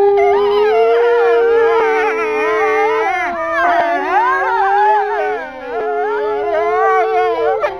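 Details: Captive male wolves, a pack of four at Kolmården Zoo, Sweden, recorded January 2007 at a petting event: one long, nearly level howl persists throughout while other voices weave up and down around it in a continuous chorus.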